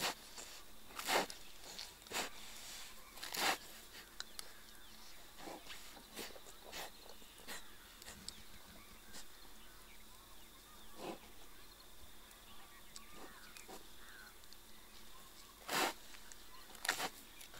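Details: Wild sloth bear feeding on termites through its snout at an ant-hill in sarson fields beside a village near Panna National Park, India; loud, abrupt blowing and sucking bursts come in uneven clusters, with quieter gaps between them.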